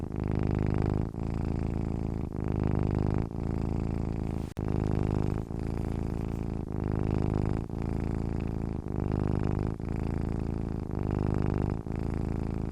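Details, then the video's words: Cat purring while sleeping: a steady, deep, rumbling purr in regular cycles about once a second, each breath a broad low buzz separated by brief pauses, with one short click near the middle. "cat sleeping with purring sounds"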